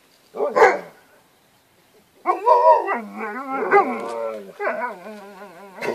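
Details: Seven-week-old Alaskan Malamute puppies at play: a brief yelp, a pause, then a run of wavering, harmonic howl-like whines. The calls rise and fall in pitch, overlap one another, and end with a short sharp yip.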